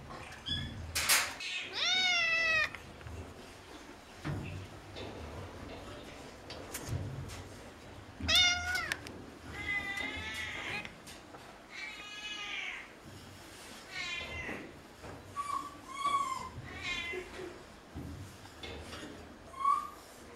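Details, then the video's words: Noisy cats at a veterinary clinic, possibly Burmese, giving scattered meows of varying length, some arched and wavering, others short and chirp-like, over a low room hum with occasional knocks. "Meowing, chirping, yowling! NOISY cats talking!"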